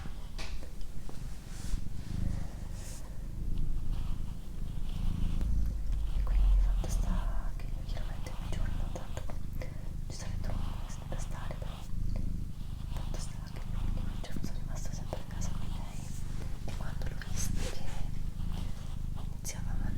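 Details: Doroti, a female pet cat, purring indoors in a small room: a steady low rumbling purr with rhythmic pulses broken by breaths, soft human whispering layered over it throughout.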